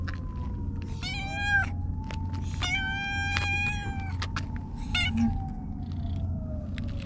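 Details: Stray cat in a Japanese park giving several short meows amid steady low traffic rumble and a passing engine drone.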